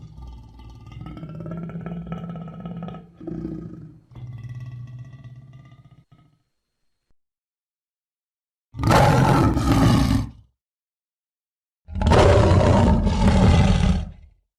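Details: Lion growls and moans low and drawn out, then falls silent before two separate loud, harsh roars of about two seconds each.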